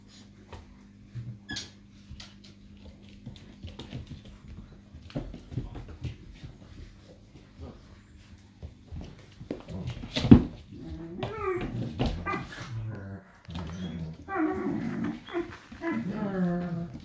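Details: Irish Wolfhound puppies, five and a half weeks old, playing indoors: a quiet stretch of shuffling and faint noises gives way to harmonic whines and rough growly yelps in the last seconds, with the hum of a small room behind.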